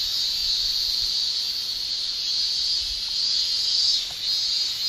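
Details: Male cicadas in Japan sing their summer tymbal song, an unbroken sizzling high-pitched drone with slight rises and falls, softening briefly just after the fourth second.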